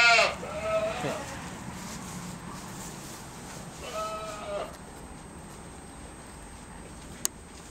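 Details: Young goat kid: a short nasal bleat opens as a man speaks, then a second wavering, rich-toned bleat follows about four seconds in, with a sharp click near the end.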